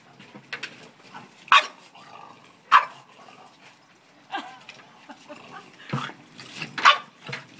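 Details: Charlie, a French bulldog, lunges at a bucket full of dog hair, letting out sharp, gruff barks at irregular intervals, about six bursts in under eight seconds with quieter snuffling between them.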